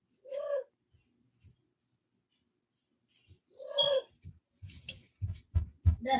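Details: Cane Corso (Italian Mastiff) from a breeder's pack west of Nashville, Tennessee, giving two short high whining cries with a tonal, rising-falling shape, followed by a burst of soft low thumps and shuffling noises.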